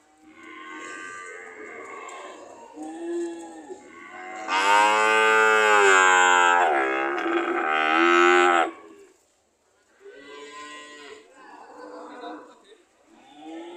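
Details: Cows ready to leave call in turn: moderate moos at first, then a powerful, sustained bellow of about four seconds with strong overtones, a short silence, and more mooing afterwards.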